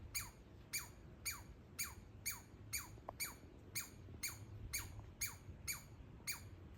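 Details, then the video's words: Young squirrel from a backyard walnut tree giving 'laser' noises, a run of about a dozen quick descending chirps, evenly spaced roughly every half second, with soft low rumble underneath. "baby squirrel making laser noises"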